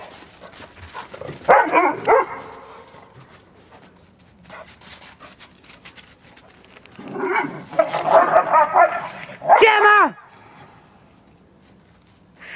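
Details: A high-drive Dobermann named Gemma picking on the other girls of the household: a burst of harmonic whining yips near the start, then a longer run of wavering whines and a sharp bark-like cry after a quiet stretch, with a person scolding nearby.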